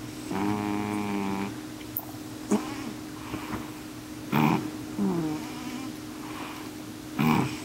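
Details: Nighttime couch snoring from N2, a male house cat sleeping loudly; a buzzy, tonal snore of about one second opens, followed by shorter rasping breath bursts spaced a few seconds apart over a steady low indoor hum.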